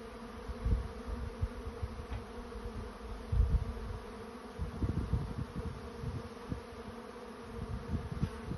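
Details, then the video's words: A honey bee swarm finding a new home: a low, thick drone of massed wingbeats with frequent loud bumps and rustles from close-by bees passing. "Honey Bees finding a new home"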